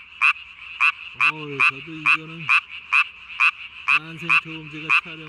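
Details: Calling at night on 3 May 2020, a Japanese tree frog inflates its under-chin sac as big as its body. It gives short, bright croaks about twice a second while human voices talk over the middle and the end.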